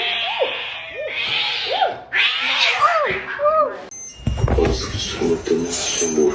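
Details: Kitten meowing with a quick run of short, arched meows, each rising then falling, about one per second, amid people laughing and talking; a burst of clattering noise and voices follows.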